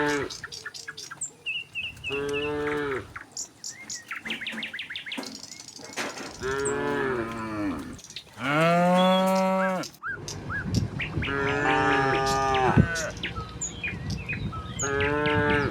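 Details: Tame cows running down a hill toward their pen call repeatedly, with overlapping moos from more than one animal. The moos vary in length, some long and bellowing, others short, with faint bird chirps behind them.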